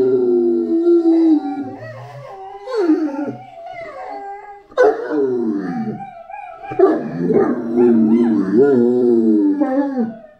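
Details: Great Dane named Anubis howling: several wavering, moaning howls that rise and fall in pitch, broken by short pauses, with a rougher, whimpering edge in the later bursts.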